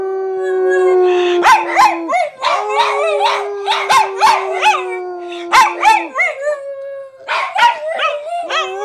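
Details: Two dogs howl together, long steady tones broken by sharp yips and short barks, apparently pestering to go to the park.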